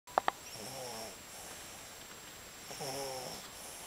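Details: Capi, a dog, snoring while asleep: two soft, raspy snoring breaths, each about half a second long, a couple of seconds apart, after two sharp clicks at the start.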